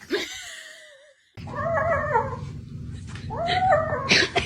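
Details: Two drawn-out, wavering cat meows, each bending up and down, sound over a steady low rumble indoors. A short, thin, high tone comes before them.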